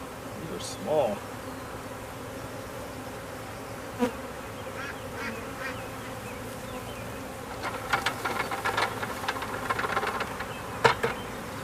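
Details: Swarm of honey bees walking into a hive at home, which signals the queen is in there; soft continuous droning buzz with scattered clicks and taps from the hive and a few louder passing bees.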